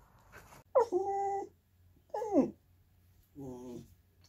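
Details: Andy, a Goldendoodle, whining when he wants snacks or to be petted: three drawn-out, harmonic-rich whimpers, the first two sweeping sharply down in pitch, the last lower and wavering, separated by short silences.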